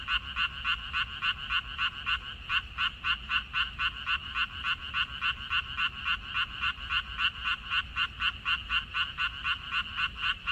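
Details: Frog chorus from a water dropwort field, 14 May 2021. Fast, harsh, clicking croaks, around three and a half per second, run on continuously with slight overlaps between callers, over a soft low-frequency background.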